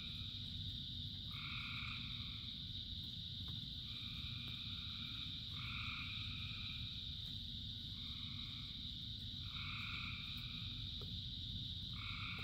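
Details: Frogs calling in rain, part of a chorus of thousands: short two-toned croaks about every one to two seconds, set over a steady high-pitched chorus drone and a low, constant rumble of rain.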